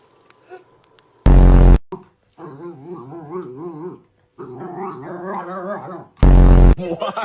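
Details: Pet dog making long wavering, whiny, howl-like sounds in two sustained bursts with short gaps, broken by two loud sudden blasts of noise, with people laughing nearby.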